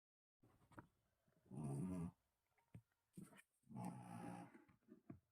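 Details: Aero, a Shih Tzu, snoring while asleep: two long, rough, low rumbling snores about two seconds apart, with softer breathy puffs and small snuffles between them.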